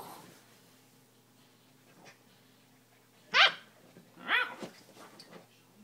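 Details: Seven-week-old Siberian Husky puppy named Nismo, playfully attacking his bed indoors, gives two short, harsh, yappy barks about a second apart after a quiet stretch with faint breathing; a person speaks softly nearby.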